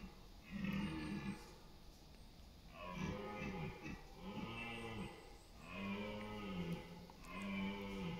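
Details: Rutting red deer stag in East Serbia's autumn countryside, late September, bellowing to compete for dominance and mates: five rich, hoarse, harmonic roars in a row, each roughly a second long, repeated about every one and a half seconds.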